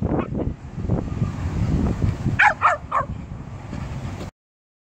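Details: Alfie, a pet Jack Russell Terrier, tries to intimidate and out-muscle a much bigger Labrador/Poodle cross puppy. Three quick, sharp barks come in a row midway, over low rumbling background noise.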